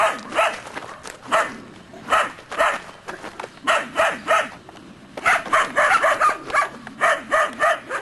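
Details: Three-month-old Belgian Shepherd Groenendael litter-mates show guarding instinct toward an unseen stranger, barking in rapid irregular bursts. About seventeen bright, harmonic barks and yips come over eight seconds, clustering densely toward the end.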